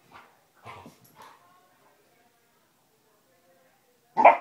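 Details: Basset Hounds Tracker and puppy Ranger playing rough: three short, clipped barks in the first second and a half, then quiet, ending in one sudden loud, harsh bark.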